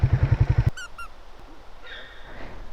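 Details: Deer on remote Hokkaido, Japan, in summer (June–August), give short, high, squealing calls with harmonics after a low, throbbing engine rumble fades out; the deer seemed to answer a person's call.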